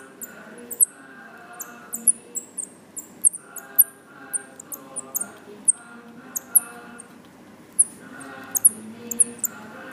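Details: Baby Himalayan striped squirrels (Tamiops mcclellandii) at feeding time, two days after being found on the ground outside a house in Lampang, Thailand, give rapid, very high-pitched chirping squeaks over a soft, low tonal background.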